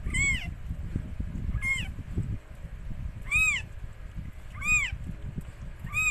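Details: Mikey, a stray rescued cat, giving birth to four kittens of the same colour: five short, arched, harmonic-rich mews, spaced about every one to one and a half seconds, over a low rumbling background.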